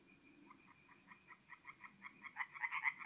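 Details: Singing tree frogs at a forest pond by night in mid-April, north-east Italy; short croaks start faint and sparse, then quicken and swell into a louder, rapid pulsing run toward the end.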